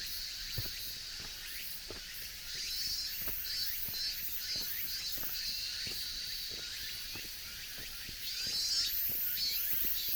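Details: Insistent shrill buzzing of cicadas, with faint repeated rising chirps, along a mountain forest road late in summer, while footsteps crunch steadily on gravel and paving stones.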